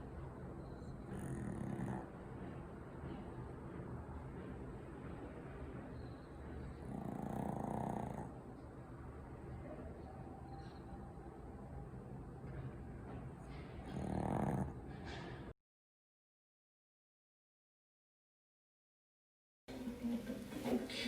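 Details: Maltese puppy snoring while asleep: soft breathy snores swell about every six seconds above a steady low hum, then a few seconds of silence before the snoring resumes.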